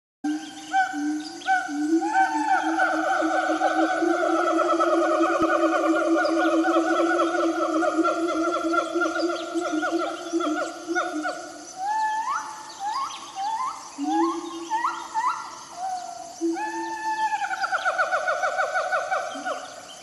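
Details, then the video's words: A wild siamang gives loud, ringing wails that stretch out long, then break into quick rising whoops. "SUARA SIAMANG DIALAM BEBAS 🦍🦍"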